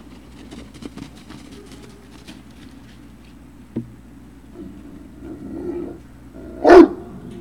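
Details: Great Dane puppy at Puppy Hill, 3 June 2019, late afternoon: scattered clicks and soft knocks, then one loud sharp bark near the end over a low hum.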